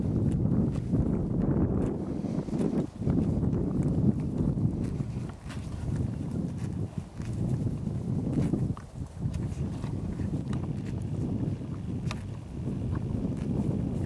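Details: Zann, a 6-year-old Quarter Horse gelding, grazes in February, pushing aside pine needles to reach small grass shoots. He makes weird noises: steady low breathy snuffling and rustling with crisp clicks and crunches, briefly dipping quieter now and then.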